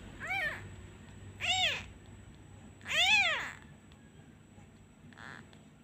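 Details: Kitten left abandoned and crying for its absent mother when a hand is removed: three clear, high meows, each rising and falling, the last longest and loudest, then a faint short squeak.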